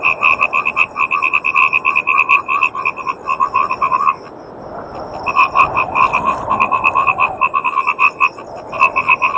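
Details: Indian bullfrogs, also called yellow or golden frogs, croak in fast, nasal pulses on a cloudy night in Bangladesh, with a brief lull before the calling picks up again.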